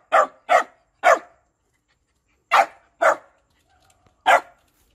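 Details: Shiba Inu dog barking to beg for food: six sharp, loud barks, a quick run of three in the first second, a pause, then three more spaced about half a second apart, with near silence between them.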